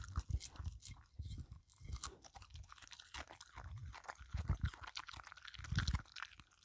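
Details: Filou the dog eating a cucumber snack: crisp bites, smacking chews and scraping clicks in uneven bursts, a few heavier crunches near the end, no other sounds.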